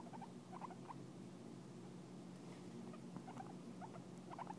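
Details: Pet guinea pig licking and grooming its owner, a sign it really likes the owner; soft, quiet clusters of short squeaky chirps recur every second or so over a low steady hum.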